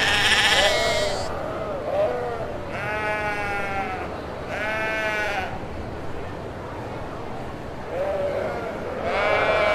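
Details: Kacang goats bleating over a steady background hum, several harmonic, wavering bleats each lasting one to three seconds, some overlapping, spaced through the recording.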